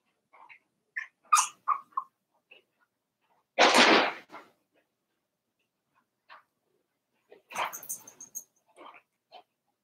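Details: Four-week-old Cavalier King Charles Spaniel puppies from Daisy's litter in their puppy pen: scattered short high squeaks and whimpers, with one loud broad rustling burst in the middle and a brief cluster of squeals near the end.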